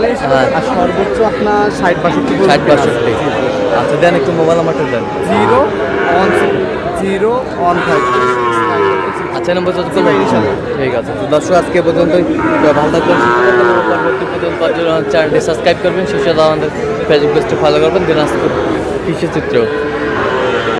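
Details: Sahiwal breed bull calves at a busy cattle market, bought by a farmer from Barishal, Bangladesh, on 28 July; long, drawn, wavering moos rise and fall amid a crowd's chatter and men talking prices throughout.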